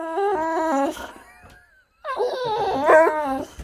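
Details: Boxer dog Rex throwing a tantrum indoors: two bursts of loud, harmonic, whining howls that step up and down in pitch, the second burst rising near its end, separated by a brief quiet gap.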